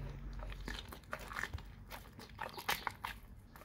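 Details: A dog eating raw cow tongue: wet, crunching bites and smacking chews come in irregular bursts, with sharper snaps near the middle and end and brief quiet gaps between mouthfuls.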